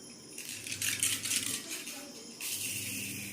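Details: Bright metallic rattling and jingling like a bell toy or coins, with a little faint speech indoors and no animal voice.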